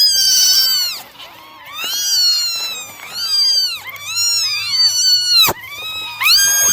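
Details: Nine domestic kittens meowing during a morning drying routine: high, arched, overlapping mews from several voices, one after another with brief gaps, and a sharp click near the end.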